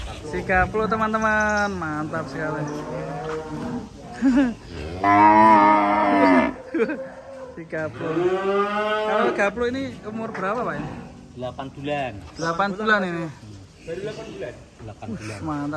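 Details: Cattle on an Indonesian farm during an escape, with a handler nearby: a run of repeated moos, some rising and falling, several louder bellowing ones mid-sequence, mixed with music and background noise.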